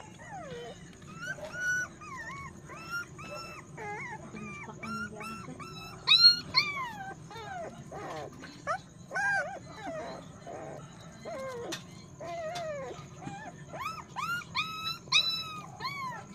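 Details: Puppy whining and yelping repeatedly, many short high tonal cries bending up and down in rapid bursts throughout, some louder squeals, over a constant low hum.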